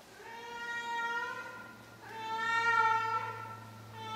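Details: Two long, wavering meows from an elderly female cat, sixteen years old, during her nightly vocal routine, the second louder and more strained, with a faint low hum underneath.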